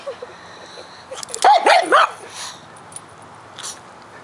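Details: A pug bothered by a trespassing bug in its yard fires off a quick burst of three sharp, yappy barks in under a second. Quiet snuffling comes before and a faint yip follows.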